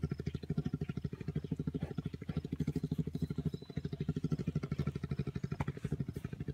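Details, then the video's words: Purring from bears at an orphaned wildlife center as they wrestle, a deep continuous rumble of fast even pulses, engine-like and unbroken throughout, with light scuffling and soft knocking sounds mixed in. "Purring bears"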